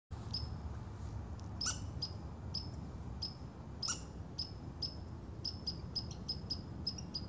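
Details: Red squirrel grumbling in autumn woods, September 2015, while harvesting nuts and pine cones, before noticing the recordist; short high chirping notes at irregular intervals, roughly fifteen in seven seconds, over a steady low broadband rumble.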